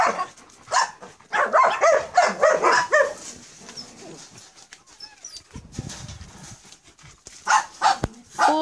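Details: Four-day-old German Shepherd puppies in Jamaica with their mother nearby, giving a rapid run of high whimpering yelps over the first three seconds, then quieter rustling and a woman talking, with more squeals near the end.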